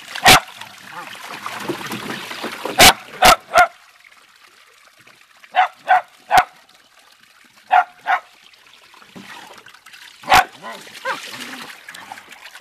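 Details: Beagle/Dachshund family dogs, including a Red Bone Dachshund named Zeenie, playing in water; scattered sharp barks singly and in pairs amid splashing, with a human voice near the start.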